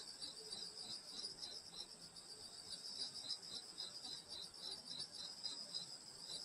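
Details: Grass insects calling on a summer countryside night at a grandmother's house in Korea, bright high trilling with distinct rhythmic pulses about three a second over a steady ringing background.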